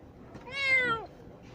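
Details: Young cat Tintin meowing during treatment of a closed eye with drops and cream; a single plaintive meow, rising slightly then sliding downward over about half a second, in a quiet room.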